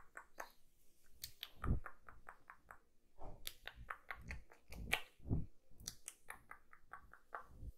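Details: Kitten eating: irregular crunchy bites mixed with quick, crisp mouth clicks and smacking, some bites deeper and thumping, with quiet pauses between, recorded closely in a small room.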